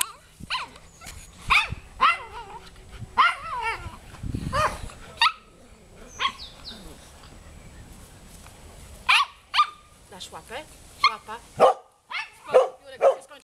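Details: Golden Retriever found as a stray in Wołomin, barking in sharp, bright bursts. The barks come singly and in quick clusters across the recording, with brief pauses and a person's low voice in between.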